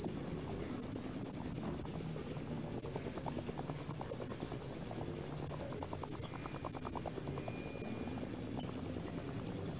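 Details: A dusk-to-dawn chorus of male crickets, a piercing high trill of fast, even pulses that never stops. A faint thin whistle is heard midway.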